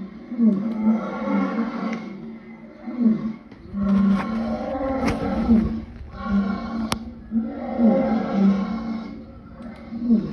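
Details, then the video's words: Lion moans in drawn-out, deep, harmonic bursts that rise and fall in pitch, in about four swelling groups over ten seconds, with a sharp click near the end. "Lion sounds part 2"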